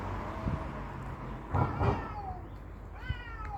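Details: Fighting cats give short, strained yowls and a falling wail between low thuds, over steady background noise.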